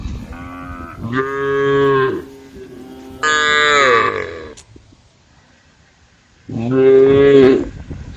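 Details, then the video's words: Female cows grazing together in a forest give three loud moos: a steady, level call, then a higher one that falls away, then a final long, steady moo after a pause. "group of cows in the forest grazing female cows the sound of cows"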